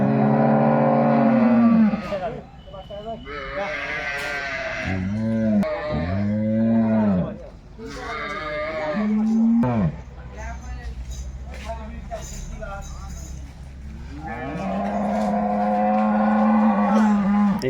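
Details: Jersey cattle at a wholesale cattle market: drawn-out, flat low moos at the start and again near the end, with people talking loudly in between and busy market noise throughout.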